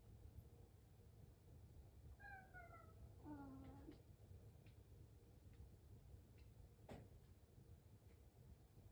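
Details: House cat waiting for its breakfast in the morning; two drawn-out meows, the first level and falling slightly, the second lower and wavering, followed by faint clicks over a low background rumble.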